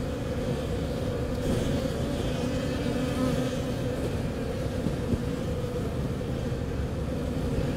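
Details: On an unusually warm March day of 13°C in St. John's, Newfoundland, kept honey bees fill the air with a continuous low buzzing drone. A few slightly louder passes rise above the even hum.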